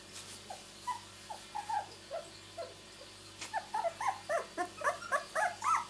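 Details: Two-week-old miniature Labradoodle puppies from a litter born 31 July 2009, giving soft, short whimpering squeaks that start sparse and grow into a busier run of rising-falling yelps toward the end, over a low steady hum.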